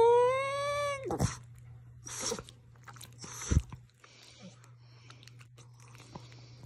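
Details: A Boston Terrier acting as a morning alarm clock lets out one second-long, richly harmonic whine that rises a little, then falls. Sharp knocks and rustles follow over a steady low indoor hum.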